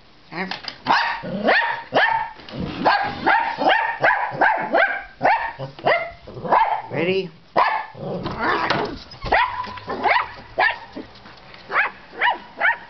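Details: Two dachshunds bark in quick, high, excited yaps with short pauses, the way they signal they want to go outside; the smaller one often barks just for fun.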